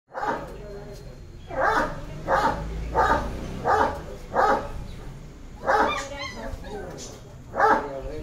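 Young Great Danes bark in brief, bright yelps, each burst clipped and harmonic-rich, coming in an uneven series about once a second. A faint low background hum runs underneath.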